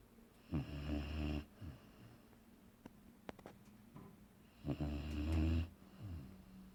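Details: Boerboel named Aaron asleep and snoring: two long, deep, rasping snores about four seconds apart, each lasting roughly a second, with quiet breathing and small clicks in between indoors.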